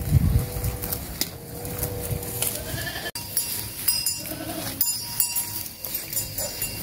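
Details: Sheep bleating on a farm during a first herding outing: several wavering, nasal, harmonic bleats in the first half, with fainter calls later over rustling, footsteps and steady background noise.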